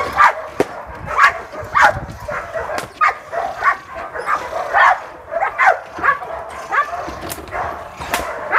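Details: Sport dog at the Vom Almere Dog Training Centre, showing its ferocity against a man used to facing Pitbulls; sharp, loud barks repeated roughly every half second to second, with voices and scuffling underneath.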